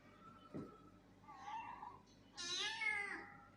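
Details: An angry cat named Lucy gives a short low mew, then a loud drawn-out meow that starts high and slides down, with a faint thud early on in a small indoor room.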